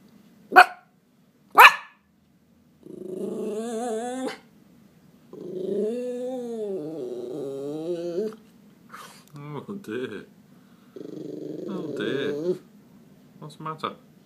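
A Miniature Schnauzer whines and grumbles in stress after spotting a cat, with a person talking softly.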